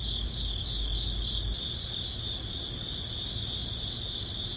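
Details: Crickets chirping in early autumn at the very end of summer: a dense, steady high-pitched trill with a faster pulsing layer above it, many insects calling at once over a soft low rumble.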